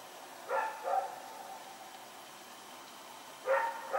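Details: Rex the dog barking at night on September 21, 2018: two quick barks early, a quiet stretch of hum, then two more barks closing the short excerpt.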